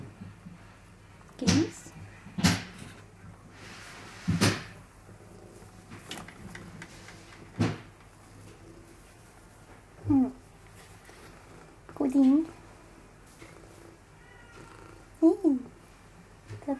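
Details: Wang, a curious, cuddly tortoiseshell-tabby female cat at a cat shelter, looking for a home as an only cat; three short arched meows, rising then falling, spaced about two to three seconds apart, after several sharp knocks and thumps indoors.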